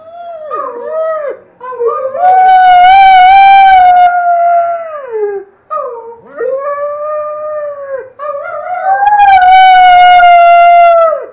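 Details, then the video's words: Pet Doberman howling and 'talking' indoors: long, drawn-out tonal howls that bend up and down, several rising then sliding down at the ends, with a boy howling along in the background. "Doberman howling and talking"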